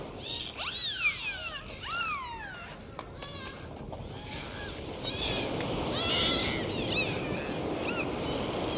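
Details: Dolphins heard during an underwater dive, with loud descending and looping whistles in the first two seconds, then quieter scattered whistles and clicks amid rising bubbling water noise.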